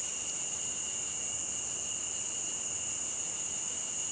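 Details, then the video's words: Crickets near a stream: a steady, unbroken high-pitched trilling chorus of two constant shrill tones over a soft, even background hiss. "Crickets Near A Stream"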